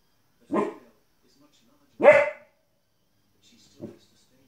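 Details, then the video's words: Young female Border Collie, 15 weeks old, barking at TV animals: a softer bark followed by a strong sharp bark, then a brief faint yip, with faint TV sound in the background. "Border Collie puppy Barking at TV"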